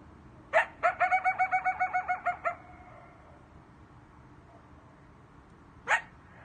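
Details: Coyotes at night: after a single sharp yelp comes a fast run of about a dozen short, evenly spaced yips in under two seconds, each bright and harmonic. Another lone yelp follows after a quiet pause.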